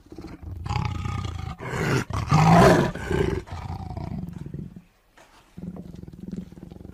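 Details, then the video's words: Tiger letting out a long, heavy roar that builds from low grumbling into a loud, raspy climax, then tapers off. After a short pause, a softer deep rumbling growl continues. "The sound of a tiger roaring/Suara harimau mengaum"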